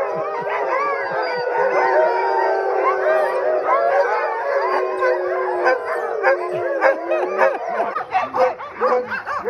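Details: Alaskan Husky sled dogs in Alaska in June, excited at being chosen for summer mushing training with a wheeled cart: several dogs howl together in overlapping, sustained, wavering tones, with sharp yips and barks breaking in toward the end.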